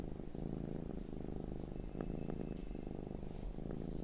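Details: Cat purring continuously at close range in a looped recording. Steady low vibrating drone with fast fluttering texture, slight swells, a faint soft tick or two, and a thin high tone briefly in the background.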